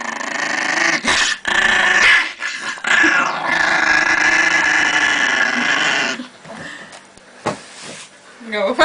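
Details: An angry Chihuahua growls over pancakes: continuous harsh, rasping growl for about six seconds, then quieter broken bursts, with people talking nearby and applause.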